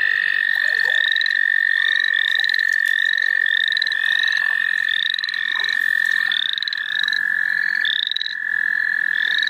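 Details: Frog chorus at the St. Olaf College Natural Lands: a steady high trill runs throughout beneath rapid, repeated upslurred peeps from many callers overlapping one another.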